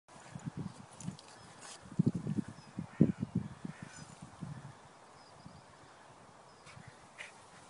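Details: French Bulldog Mia rolling in a meadow outdoors gives a burst of low, rapid snuffling grunts and snorts, pulsing quickly for a few seconds before fading to quiet outdoor background.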